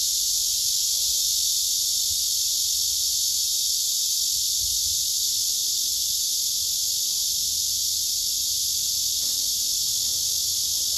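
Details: Black cicadas strung in a line, small ones above and below a large female, produce an intense continuous shrill hiss, constant throughout with no breaks or rhythm.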